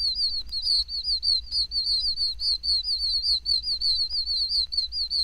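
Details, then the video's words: Oak toads, tiny toads of Florida pine and oak woods, giving their breeding call: high, whistled chirps repeated rapidly, several per second, with overlapping callers forming a steady chorus over a faint low hum. "oak toad is a tiny toad often found in pine woods as well as oak woods the breeding call of this toad is a high whistled chirp the"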